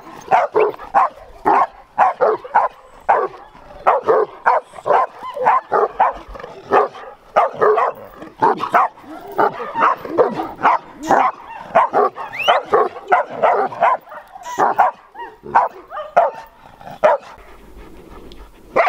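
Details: Large Bucovina Shepherd Dog with a powerful temperament barking in rapid, sharp bursts, roughly two per second, sustained over nearly twenty seconds with only brief pauses; no other clear sounds.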